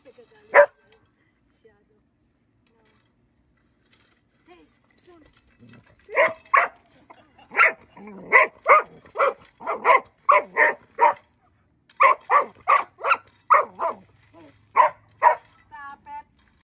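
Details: Border Collie reacting to raking: after a single bark, a rapid burst of repeated barks, roughly two to three per second, fairly regular, ending with a few higher yips.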